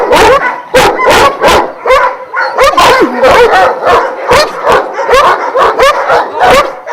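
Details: At a kennel in Jasika near Kruševac, twelve Šarplaninac of Vujanski descent raise a loud clamour: rapid, overlapping barks come in quick bursts, with strained yips and whines between them.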